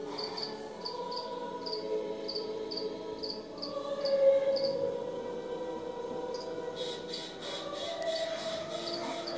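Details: Close-up crickets chirping in a quick, high-pitched, fairly even series for about four seconds, after which broadband rustling noise largely covers the calls.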